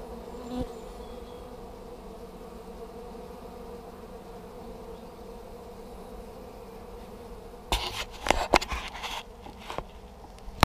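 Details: Honey bees fanning at the entrance of a new hive during swarm collection in Hampshire in May 2015, with bees entering; a steady low droning hum, interrupted near the end by loud crackling handling noises.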